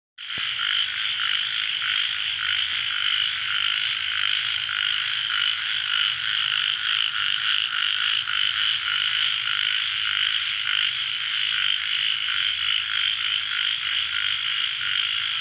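A dense night chorus of ornate narrow-mouthed frogs, rapid rasping calls overlapping without pause.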